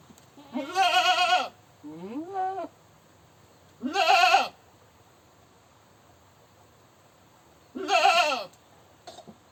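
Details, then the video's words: Goat screams repeatedly: loud harsh wavering bleats with a softer shorter one in between, four calls over about nine seconds. "Goat Screaming"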